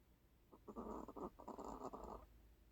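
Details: Mina, a long-haired Chihuahua, asleep and snoring. She always snores loudly. A short run of rough, rattling breaths lasts under two seconds, broken into quick pulses, in a quiet indoor room.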